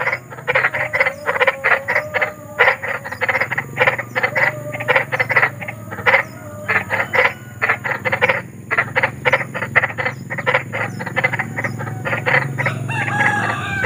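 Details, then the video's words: Big frogs in nature giving a continuous chorus of grating croaks, short clustered pulses packed tightly together, pausing now and then before resuming, many voices overlapping over a faint low background murmur. "SUARA KODOK || KODOK BESAR || SUARA KODOK SERAM"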